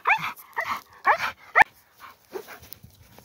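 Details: Young, strong male standard bull terrier out on a walk by a lake far from town, in a boisterous playful mood: four rough, harsh barks in quick succession over a second and a half, a sharp click, then a few softer, lower barks.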